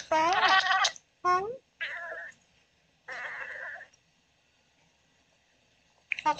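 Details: Sleeping Oriental Shorthair cat named Daisy vocalizing during her dreams: clear, rising meow-like cries and short bent chirps, followed by a few softer, breathier murmurs after a pause.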